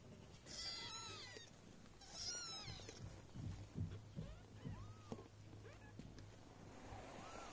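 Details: Esmeraldus Cattery's golden British mother cat, Viva la viva, with her four newborn kittens from litter F2; shrill overlapping mews at the start, then scattered rising-falling cries amid soft bumps and shuffling.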